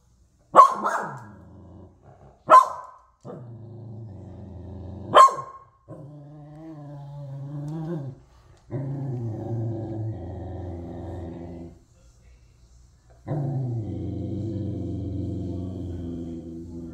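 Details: Corgi upset by a raccoon visitor helping itself to cat food: three sharp barks in quick succession open, followed by sustained deep growls of several seconds with short pauses between.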